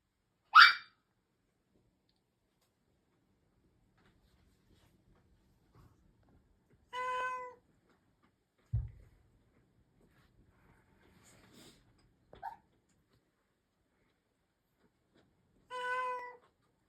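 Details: Rare meows from a Russian Blue cat, a breed nicknamed the silent cat for seldom meowing: two short, steady, tonal meows several seconds apart, with a sharp knock, faint rustles and a brief chirp-like sound in between, otherwise quiet room.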